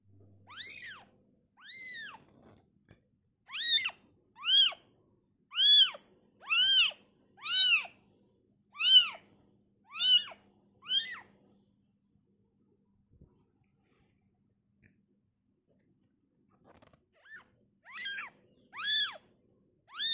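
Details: Newborn kitten taken away from its mother, crying with high arched meows in a quick irregular series, a pause of several seconds, then a few softer cries resuming; quiet room background.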